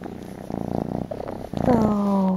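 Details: Purring kitten nestled in a shawl, low rumbling pulses for about a second and a half, followed by a woman's speech.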